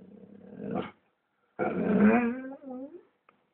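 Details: Black Labrador indoors growling as someone walks past the house: a low rumbling growl that swells into a longer, harsher growl-whine, then fades, in a quiet room.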